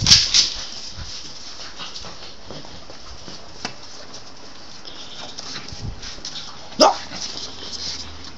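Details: Lancillotto, a pug from Piedmont living in Teramo, Italy, playing wildly indoors and grabbing toilet paper: two sharp yips open the clip, then quiet shuffling, and one more loud bark near the end, while a man tells him in Italian to come here.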